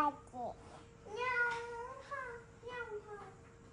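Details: A Ragamuffin cat, the first to take a seat at the dinner table, gives a run of drawn-out meows, some rising then falling, one after another, with faint voices and a steady background hum.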